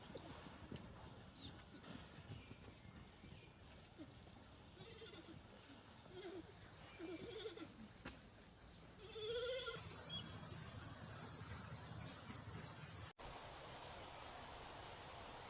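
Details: A giant panda on 10 March, after eating well and playing with a red bucket, keeps giving sheep-like bleats. Several short, wavering bleats are faint, one louder rising bleat comes near the end, and a steady low hum runs throughout.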